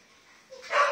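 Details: A male brindle Phu Quoc Ridgeback, one of several in Thu Duc, Ho Chi Minh City, gives a single brief, bright bark with a rough, yelping edge after half a second of quiet.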